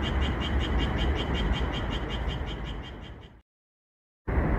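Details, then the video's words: Japanese tree frog singing at night under calm moonlight in a red pepper field, edited so the frog calls often: rapid, even croaks about four per second with a bright ringing tone, fading before a sudden break of silence, then resuming. "고요한 달빛 아래 고추밭에서 노래하는 청개구리소리"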